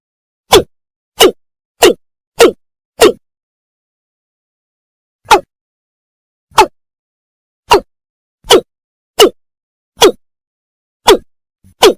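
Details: A series of about a dozen short, sharp thwacks, unevenly spaced across the twelve seconds with silence between them; no animal voice is heard.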